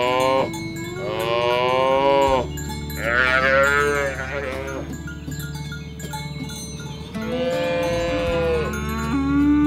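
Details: Herded cows moving through a rice-field ditch toward the livestock pen in rural green fields; three drawn-out, harmonic moos with pauses between, set against constant tonal ringing.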